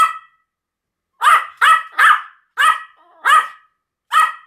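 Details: Two Pomeranians, Sam and Marin, in a barking duet: a brief bark at the start, a silent gap, then six sharp, high yapping barks in quick succession, roughly one every half second.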